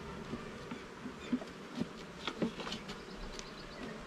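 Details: Honey bees at an opened garden hive during inspection. A softer, uneven hum rises and falls under a few distinct knocks and clicks, roughly one a second, as frames are moved.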